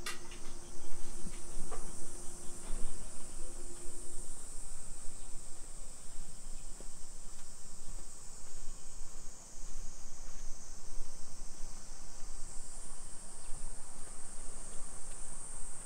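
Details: Summer cicadas heard on a 2 PM street walk in Nisshin, Aichi Prefecture, Japan, 28 July 2021: a sustained high-pitched buzzing wall of sound, with a thin steady tone early on and traffic-like rumble below.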